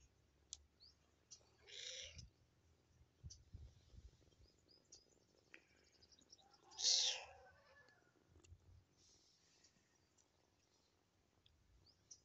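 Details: Kitten left alone after its mother went elsewhere, crying with two thin, high-pitched meows several seconds apart, the second louder, against a quiet background with faint clicks and low hum.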